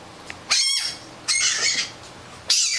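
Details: Fennec fox giving three short, very high, shrill squealing calls with bright harmonic bands, each about a third of a second, spaced roughly a second apart, with near silence in between.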